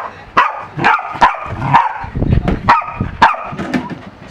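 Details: A corgi in a pool gives a run of loud, rough barks, roughly two per second with uneven spacing, with splashing and background noise between the barks.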